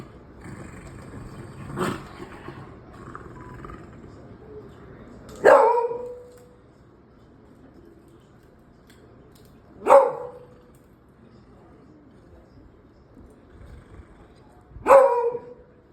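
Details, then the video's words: A beagle and a dachshund squabble playfully at home: single sharp barks about every four to five seconds, four in all, with faint murmuring and household noise between them. "beagle and dachshund 🤣🤣nokjhok indono ki"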